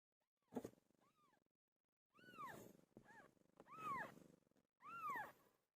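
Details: Pet cat named Pilo, who gave birth: loud, arching meows with rich overtones come in a run of four calls after one sharp opening cry, separated by brief pauses.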